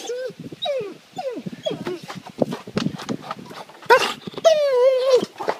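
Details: A pet dog, surprised by its owner climbing over the back fence from the neighbours' side, gives a run of high, bending whines and yelps, ending in a long wavering whine, with rustling and human voices around it.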